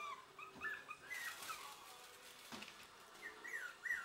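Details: Puppies sniffing at a treat bag, giving thin high whines and yips, several sliding downward in pitch, scattered through four seconds with a brief rustle in the middle.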